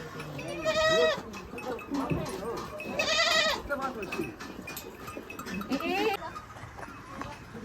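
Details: Large male goats on a farm in India, giving several bleats with rich harmonic stacks, near one second, three seconds and six seconds, over murmuring human speech and farmyard background.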